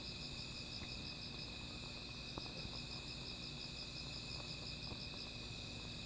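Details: Insects at night next to a small fire, their steady shrill drone layered with a rapid pulsing trill that repeats evenly, plus faint sparse crackling from the flames.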